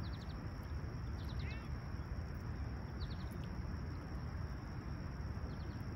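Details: Summer morning crickets at Humber Bay Shores, Toronto, on a serene sunrise of July 28, 2020, 20ºC: a thin, even high trill holds without a break, joined by faint quick bird chips and low background rumble.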